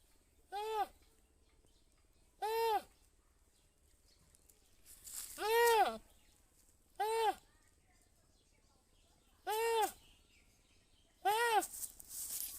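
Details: Goat bleating six times at fairly even intervals of roughly two seconds, each call a short, harmonic-rich, nasal arch that rises and drops, with near-silence between calls.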